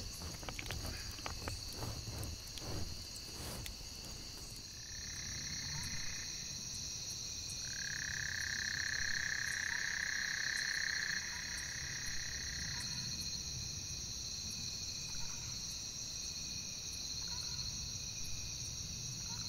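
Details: Thousands of tiny wild frogs calling together in spring, frog season, in Rio la Venta Canyon, Chiapas, Mexico: steady shrill high-pitched tones layered without pause, a louder whistled tone swelling in midway, scattered clicks and rustling early on.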